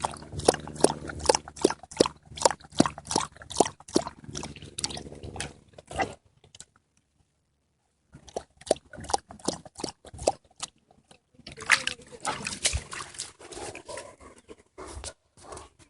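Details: Dog drinking from a pond, rapid runs of wet splashy laps that stop for about two seconds of silence, then resume in quicker, denser bursts of slurping water.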